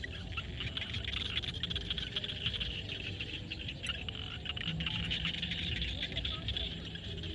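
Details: Sunset in a Cambodian field, frogs calling together: a continuous high buzzing, clicking chorus with scattered short croaks layered over it, and a steady low outdoor rumble underneath throughout.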